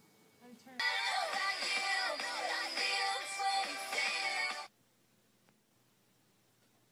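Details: A burst of bright synthetic pop music with sung melody, followed by near silence, with no animal call anywhere.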